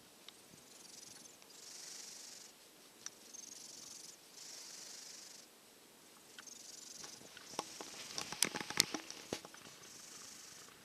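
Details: Snoring from a drowsy silver tabby cat resting in a hot dog bed after a cold: breathy hisses come every couple of seconds, followed near the end by a burst of clicking and rustling.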